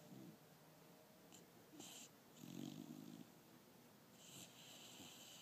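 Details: Lexy, a five-month-old female pit bull, asleep and dreaming with her tongue out, recorded 11/24/12 indoors; one rough, breathy snore swells midway through, with quieter wheezy breaths around it.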